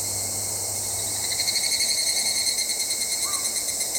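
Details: Higurashi, the evening cicada Tanna japonensis: a high shrill tone that breaks into a rapid, rhythmic pulsing of loud beats, about five per second, over a steady background drone, with a faint short call near the end.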